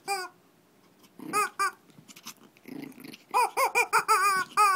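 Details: Shih Tzu in Kochi, Japan, during a mini fight: high, harmonic yelping whines, one short cry, a pause with soft snuffles, then a rapid run of rising and falling squeals packed close together toward the end.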